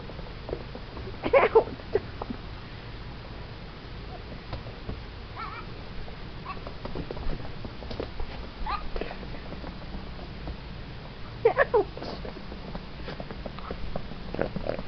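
A young goat gives two strong, quavering bleats, one near the start and one near the end. Softer grunts and shuffling fill the gap, with some low background rumble and a person's brief voice.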